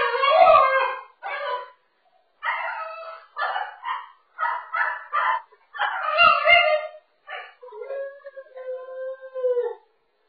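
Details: A French Bulldog puppy stuck over a wall divider vocalizes indoors: bursts of strained, yelping whines and grumbling cries separated by short silences. It ends in a longer, steadier, howl-like whine.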